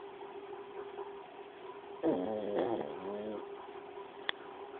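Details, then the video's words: Snoring pug named Paco: a single loud, rasping, wavering snore of about a second and a half midway, then a sharp click near the end against a constant low room hum. "Paco roncando"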